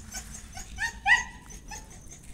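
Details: An Aspin, a Filipino native dog, kept inside the house and being noisy, gives two short, high, whining yelps close together, the second louder, over a low steady background hum.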